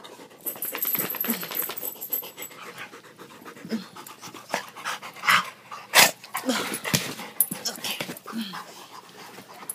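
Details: Three rowdy Rottweilers cuddling and climbing over their owner in the morning, giving quick irregular panting breaths with scattered snuffles and sharp snorts, a woman's voice telling them enough and to get off.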